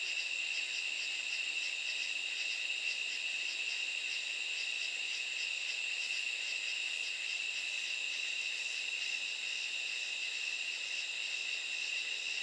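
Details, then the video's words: At night, katydids produce an unbroken high whine with quick, regular scratchy pulses stacked above it, a dense insect chorus keeping an even beat throughout, nothing else audible. "sound of katydids"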